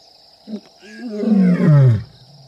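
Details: Wild lion roaring at MalaMala Game Reserve, South African bush, among the Kambula pride and Ndhzenga males during mating: a single deep, moaning grunt that swells and then falls in pitch, after a short click, with a steady high insect whine throughout.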